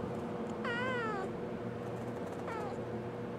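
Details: Pet kitten meowing in reply to spoken questions, two harmonic meows: a long wavering one, then a short falling one about two seconds later, over a steady low hum.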